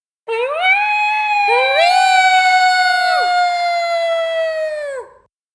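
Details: Two coyotes howling as a pair, voices rising sharply then holding long steady overlapping tones for about four seconds before falling off together into silence.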